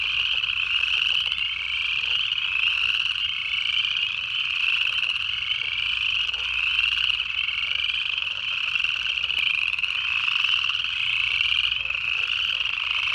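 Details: A dense chorus of frogs, recorded in the Georgia Piedmont in late January 2024, including Upland Chorus Frogs among early-calling species, giving high, rising peeps that overlap in a steady wall of sound.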